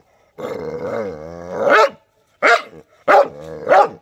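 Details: A white dog lets out a sustained, wavering howl-like bark that rises into a sharp yelp, followed by three short abrupt barks after a silent gap.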